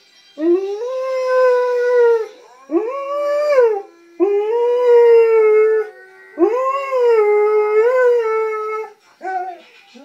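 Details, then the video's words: A male Alaskan Malamute "sings" along to a favourite video, howling in long, drawn-out, wavering tones with brief pauses between. "Howling Alaskan Malamute"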